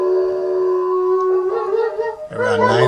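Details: Two German Shepherd dogs howling at home around nine in the evening in reaction to an emergency vehicle siren: a long, steady, tonal wail with rich overtones that wavers midway, then a rougher, breaking cry near the end.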